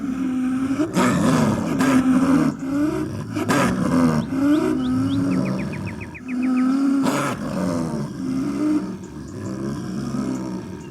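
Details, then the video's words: Snow leopard in the wild giving a series of drawn-out, wavering moans, broken by loud rasping bursts roughly every one to three seconds, with faint clicking in the background. "Як звучить сніжний барс?🐯What does a snow leopard sound like?"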